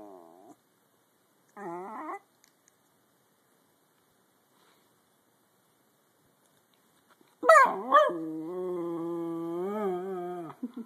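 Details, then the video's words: Schnauzer's sad song, recorded on an Android phone: a brief whine and a short rising yelp, a long silence, then a loud, sustained, wavering howl held for about three seconds. "A sad, sad schnauzer song"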